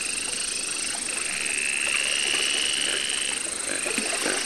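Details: Captive Baron's mantella, Madagascar species, at the Parc Zoologique de Paris, September 2014: fast high-pitched click series repeated in long runs forming a thin buzzing trill, with continuous hiss and a steady high electrical tone behind.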